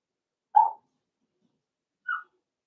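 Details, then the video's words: Playing Cavalier King Charles Spaniel puppies raised indoors in a home pen give two short, bright yelps, the first louder, separated by roughly one and a half seconds of quiet. "Cavalier Puppies Live: Puppies Playing"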